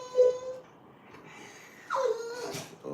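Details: Dogs whimpering indoors near midnight, eager to go out. A high whine at 0.2 s, then a falling whine with harmonics at about 2 s, over a quiet room with a man talking.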